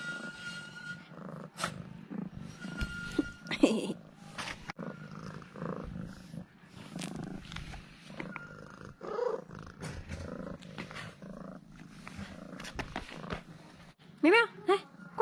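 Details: Pet cat purring while acting affectionate after being fed two ham sausages; a steady, low rumbling purr runs through the whole stretch with soft rustles and clicks, and a brief high human voice near the end.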